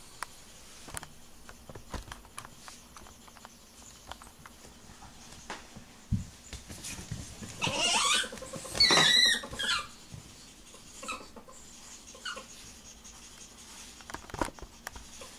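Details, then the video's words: Ferrets during mating. Rustling and patter fill most of the recording, broken around the middle by a short burst of harsh, layered squealing with rapid pulsing. Scattered clicks and scuffles follow. "Ferrets Mating"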